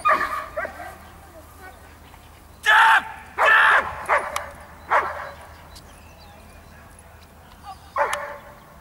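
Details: Giant Schnauzer with two powerful, booming barks close together, then several lighter barks spread out over the following seconds, over a low steady hum and a bit of human voice.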